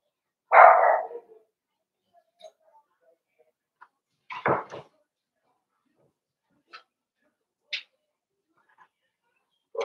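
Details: Five-week-old Cavalier King Charles Spaniel puppies in Daisy's indoor puppy pen give one loud, sharp bark near the start, then a second short yap a few seconds later, followed by faint scattered squeaks in an otherwise quiet room.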